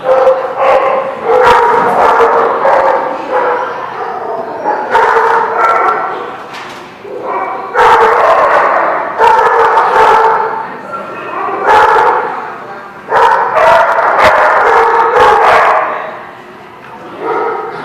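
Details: Many dogs barking together in a lot: dense overlapping bursts of yips and barks in irregular clusters every second or two, with tonal whines mixed in, fading between bouts.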